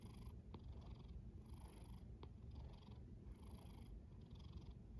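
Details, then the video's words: Domestic cat snoring while asleep: a soft, low, continuous rumble with breathing cycles swelling roughly every two seconds, a faint hiss on each breath and two brief clicks, in a quiet indoor setting. "A snoring cat"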